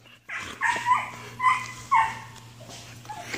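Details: Belgian Malinois named Ares giving four high, whining yelps in quick succession, each tonal cry sliding downward, then a softer, fainter whine trailing off; a steady low electrical hum runs underneath.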